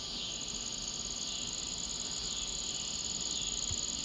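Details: A handsome trig gives a thin, high, steady trilling song over a dense insect chorus, heard along a neighbourhood street on 8/2/2026.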